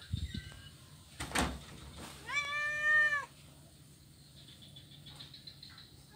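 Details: Blind kitten playing on an ironwood bridge on Jalan Kolonel Sugiono, Kuala Kapuas, Central Kalimantan, Indonesia, Monday 25 November 2019; a single drawn-out, slightly rising meow follows a burst of knocking thumps, with quiet background hum.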